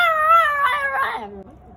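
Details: Female toy poodle howling after a siren, a short wavering harmonic howl that breaks and drops in pitch, ending in a low whimper.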